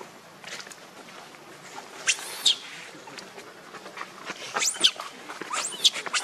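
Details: Hungry baby monkey Leo begging its mother for milk gives thin, high-pitched squeals, a few short arched cries spaced over six seconds above a soft background hiss.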